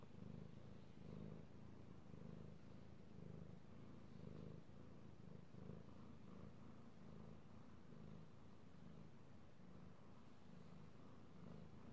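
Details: A petted male house cat purrs in a quiet room, recorded 16 March 2018; a low vibrating drone pulses about once per second, each inhale and exhale clearly marked, for twelve seconds.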